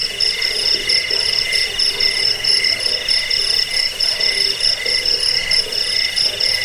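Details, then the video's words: Shrill unbroken cricket chorus used as rat repellent, bedtime sound and bird-training tutor; several high ringing bands pulse quickly and evenly, with occasional faint low croaks beneath. "Suara jangkik pengusir tikus pengantar tidur"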